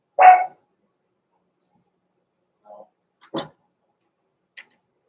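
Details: Blenheim Cavalier King Charles Spaniel puppies Roman and Blue, born November 14, 2022, in an indoor home puppy pen at Christmastime. One sharp, loud bark opens, followed by a few faint, short yips and squeaks in a quiet room.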